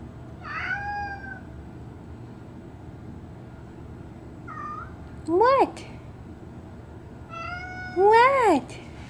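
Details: Bean, a female pet cat, meowing at the door indoors while rain falls hard outside; soft drawn-out meows early on, then two loud arched meows that rise and fall steeply near the end, over a low steady background hum.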